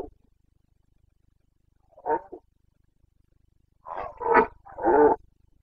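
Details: Rutting Carpathian red deer stag, Bucovina mountains, breeding season running mid-September to mid-October, 2022; one short harmonic groan, a pause, then three loud, rough roars in quick succession, deep yet rich in overtones.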